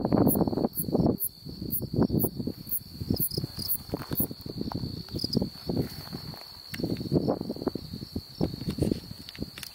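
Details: An unidentified insect calls in Beaver County, Oklahoma, on July 8, 2019, giving a steady, high, unbroken buzzing trill over gusty wind and rustling.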